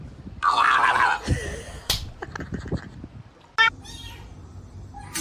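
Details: Domestic cat lets out a loud, drawn-out, wavering meow of about a second, then a burst of sharp knocks and clattering with a brief human voice in a small indoor room.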